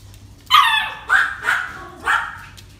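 A Yorkshire Terrier barks four times, each bark short, bright and high-pitched, the first loudest. The yaps come about half a second apart over a quiet background.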